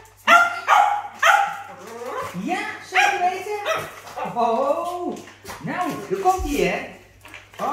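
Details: Two Cavalier King Charles Spaniels, eating treats from a new bag of sweets, give eager, wavering whines and short yips while a person talks.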